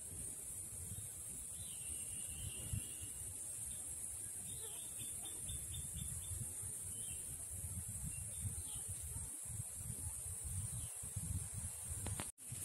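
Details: Shrilling of an Indian cicada (Huechys incarnata testacea), a continuous thin high buzz without pause, over low rumbling noise, with brief whistled bird notes early on and a sharp knock near the end.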